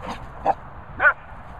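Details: Dogs at play, a Cockapoo with a Labrador: three brief, high yelping barks in under two seconds over a low background hum.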